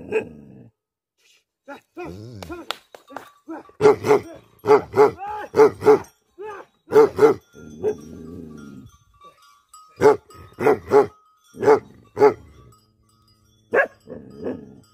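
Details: Bhote Kukur, the Tibetan Mastiff, barking in anger: sharp barks in pairs and clusters spread over fifteen seconds, broken by rougher drawn-out growly sounds and short silences.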